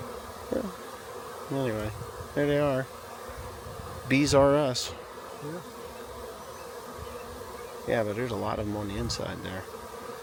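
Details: Honey bee swarm found beside a rain gauge and being collected: a steady, low, droning hum runs under the whole recording, broken by short bursts of people talking nearby.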